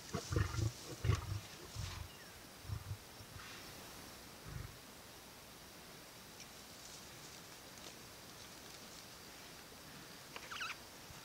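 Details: Male lion eating at a buffalo kill growls to warn lionesses away; a run of deep, guttural growl bursts opens the recording, another at about four seconds, then quieter rustling.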